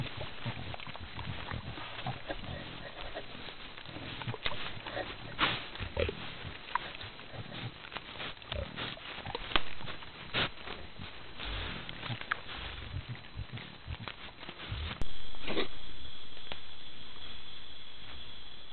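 White-lipped peccaries grunt and snuffle in low, rough bursts, with a steady high tone near the end.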